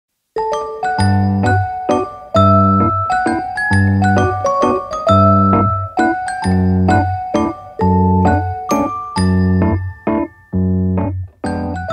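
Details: Bouncy electric piano tune in short repeated chords plays alone, with no animal sound audible.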